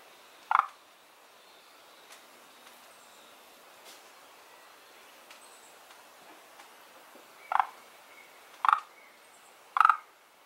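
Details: One of two frog kinds settled in a garden pond gives short, rattling croaks: a single call, a long pause with faint ticks, then three more croaks about a second apart.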